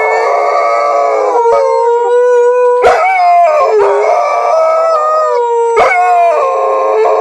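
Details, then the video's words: Nanuk and Miki, two dogs, howl at an ambulance in a continuous layered chorus of long wavering tones, pitch sliding up and down, with a few sharp clicking knocks throughout. "Nanuk and miki howling"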